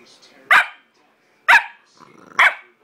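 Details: Onyx, a 9-week-old Bullmastiff puppy named Chunky Monkey, talks back with three sharp high puppy barks about a second apart after his owner calls him, with near silence between barks.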